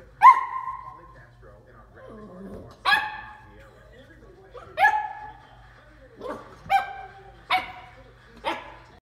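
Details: Dachshund puppy barking at a bowl; loud, clear, tonal barks and yips spaced one to two seconds apart, some with a slight whine, against a quiet indoor background.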